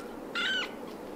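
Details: Kitten with eyes newly open, a Scottish Fold or British Shorthair, gives one short high mew, a bright harmonic-rich cry with a slight rise then fall, over a steady low room hum.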